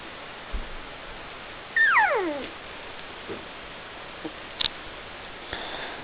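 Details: Puppies Helga, brown, and Minnie, black, talking: one loud, clear whine sliding steeply downward for about half a second, followed by a few faint clicks and small squeaks against a quiet, hissy room.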